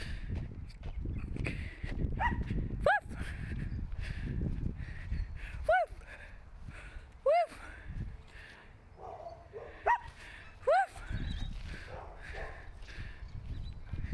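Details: Pet dog giving short high whining yelps, each sliding upward then down, about six spread over fourteen seconds, over low rumbling background noise and faint speech.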